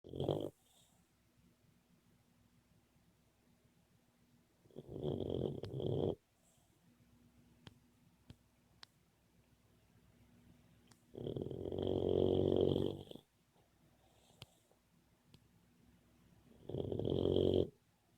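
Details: Boxer puppy snoring while asleep and dreaming: four rough, rasping snore bursts about every five to six seconds, each lasting one to two seconds, with a faint whistling tone on top and quiet breathing between.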